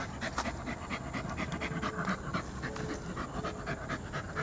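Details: Short run of poodle panting: airy, rasping breaths about two per second, evenly paced, over a low background hum.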